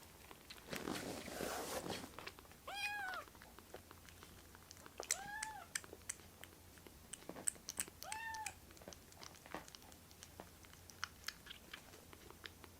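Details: Rescued foster kittens crowding together onto a person's right hand indoors. Three short, clear arched meows sound at about 2.8, 5.2 and 8.2 seconds, with soft rustling and small taps in between.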